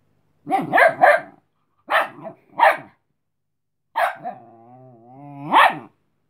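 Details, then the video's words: Cleo, a female Chihuahua puppy, tired and wanting to sleep, tells another dog, Robin, who wants to play, to go away: a cluster of sharp barks, two single barks, then a wavering whine rising into a final bark. "Chihuahua Puppy telling Dog to go away"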